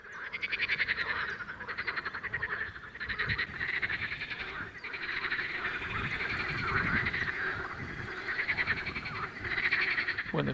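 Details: In spring at a small pond, male common water frogs and pool frogs croak in a steady chorus of rapid, rattling, nasal pulses that barely pause. The sound is made by pushing air into inflatable vocal sacs, and the males are seeking females.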